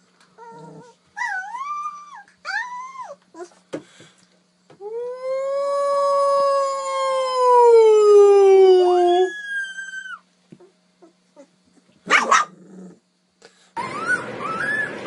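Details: A puppy learning to howl: short rising-and-falling yelps first, then a long howl swelling in loudness and sliding downward before a brief higher ending; clicks and rustling noises around it.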